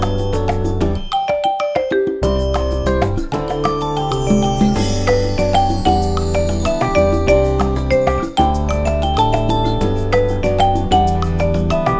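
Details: Bright chiming music of glockenspiel and mallet percussion over a bass line plays throughout, with no animal voices.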